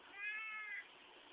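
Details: Qitah, a cat, making noise when squeezed: one drawn-out, high, slightly falling harmonic meow under a second long, over a steady background hiss.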